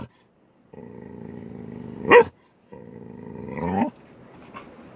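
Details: A Golden Retriever, impatient while waiting in the back seat of a car on the way to the beach, makes drawn-out, groaning whines broken by a sharp bark, sounding restless.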